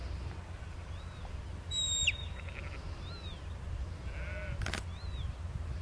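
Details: Lamb out in the field, herded by Border collie Lars, aged four; brief harmonic bleats around the middle and later, a sharp high whistle, a single knock-like click, and steady wind noise underneath.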